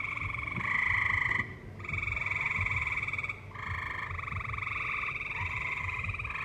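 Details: Tree frogs singing in a valley alongside live music: dense, buzzy pulsed trills in bursts of one to two seconds with short breaks, overlapping callers, and a steady low rumble underneath.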